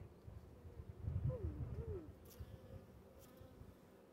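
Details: An upset Western honey bee (Apis mellifera) gives a low, rough buzz with brief downward-bending whining tones, agitated by an earwig in the comb.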